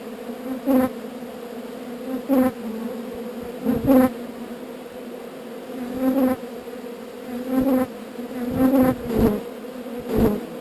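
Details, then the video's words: Relocated swarm of honey bees humming steadily, the drone swelling into louder buzzing bursts roughly every one to two seconds as individual bees pass close by. "Relocating Bees"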